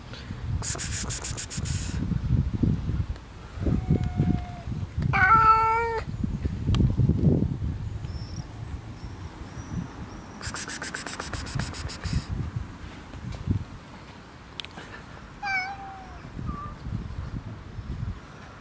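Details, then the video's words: Friendly black cat alongside a second, unfriendly cat; drawn-out harmonic meows and a wavering caterwaul-like cry, interrupted by loud broadband scraping bursts over steady low rumble. "Friendly black cat and not friendly other cat"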